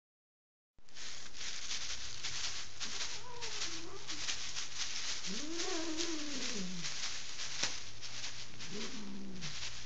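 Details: Angry female cat indoors in Kitchener, Ontario, Canada, resisting removal from her owners' bed and wary of strangers; recorded on an Android phone. Three drawn-out, wavering yowls rise and fall over steady crackling rustle and background hiss.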